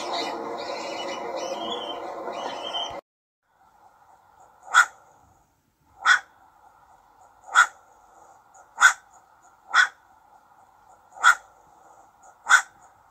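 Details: Young ringtail barking: after three seconds of dense, loud unrelated noise, seven short, crisp barks follow at uneven intervals of about one to one and a half seconds, with a faint hum underneath.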